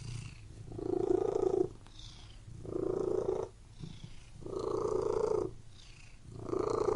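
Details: Cat purring inside a room, steady rumbling purr rising and falling with each breath, four sustained bouts separated by brief softer pauses.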